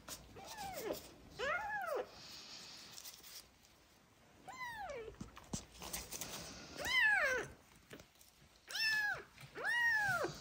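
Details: Sick abandoned street kittens, Bicolor Rose and Buddy, found in a box and suffering from ringworm, trichomonas and festering eyes, learning to feed from a bottle indoors; about six loud arched meows, each rising then falling, at irregular intervals.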